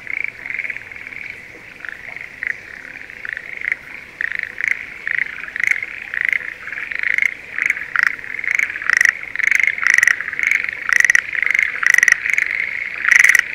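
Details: Schlegel's green tree frogs in breeding season, calling from rice paddies near Sendai, Japan, in spring: a dense chorus of rapid, rattling notes centred high, with louder pulsed bursts growing more frequent toward the end.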